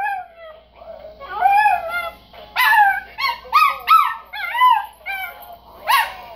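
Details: Female rescued Chihuahua, adopted at two years old, singing along to the song Monster Mash, which she sometimes starts herself; wavering, rising and falling howls in short bursts over faint background music.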